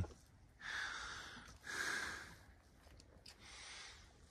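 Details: Kiso horse at the Kiso Uma no Sato on 28 February 2024, giving three soft, breathy snorts, each a rushing burst of air under a second long, the last one weaker, with quiet background noise.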